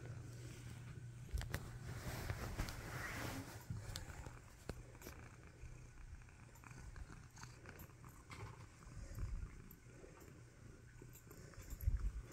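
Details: Tabby cat named Nacho purring while receiving snuggles: a low, steady rumbling purr runs underneath, mixed with scattered clicks of keyboard typing and soft rustling from handling.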